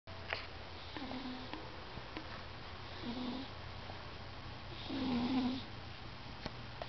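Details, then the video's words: Domestic cat snoring loudly while napping and dreaming: breathy snores with a low nasal hum, one about every two seconds, the third longest and loudest, over a steady low hum in a quiet room. "Cute Cat Dreaming and Snoring"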